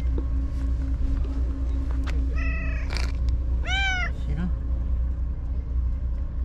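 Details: White stray cat at the tetrapods, healthy again after vanishing for a day, calls with two meows roughly one and a half seconds apart, the second louder and arching, against steady low background rumble.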